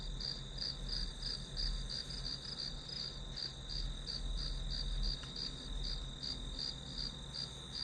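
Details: Steady chorus of grass insects: quick, regular high chirps near three per second layered on a continuous ringing drone and low background hum, no other clear sounds.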